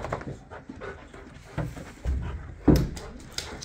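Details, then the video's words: Layla, a female Boxer dog, throwing a tantrum indoors because she can't get her way: low grumbling growls and short whimpering bursts in uneven spurts, with a sharper yelp-like outburst near the end in a small room. "Boxer dog throws a huge Tantrum over nothing."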